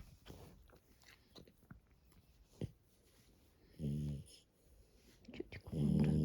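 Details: Sleeping French Bulldog snoring softly indoors: low, rumbling, throaty breaths, two louder pulsing snores a couple of seconds apart, with faint rustling between them.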